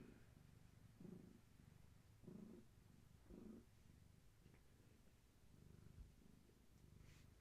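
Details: Long-haired tabby cat Gaia, pregnant with many kittens and restless from kitten movement, purrs indoors; low throaty purr pulses in regular bursts about every 1.2 seconds, fading softer toward the end, with slight rustling.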